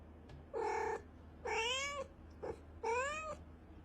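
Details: Soft domestic cat meows played to attract cats: three arched, rising-falling mews about a second apart, plus one very short chirp, over a low background hum.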